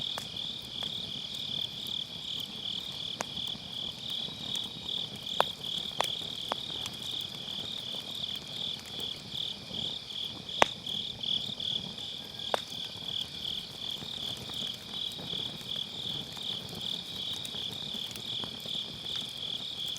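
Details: Many grass insects singing through an autumn night in a dense, beating high-pitched trill that never stops, while a campfire in a round fire pit gives occasional sharp wood pops.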